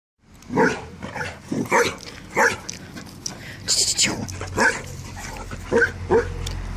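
A Basset Hound gives a series of deep, resonant barks in uneven bursts.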